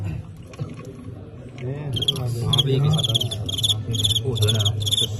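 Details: Fighting crickets in a bout between a Tengxian cricket and a Qingyuan one, part of a folk cricket-fighting tradition; after a quiet start, rapid high chirp pulses repeat in short bursts over low murmuring voices and handling noise.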